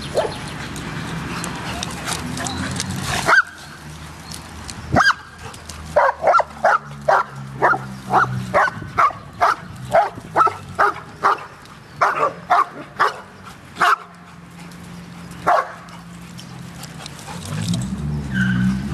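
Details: At a dog park, a dog lets out a long irregular series of short, sharp barks after a few scattered ones, with human voices and low background rumble underneath.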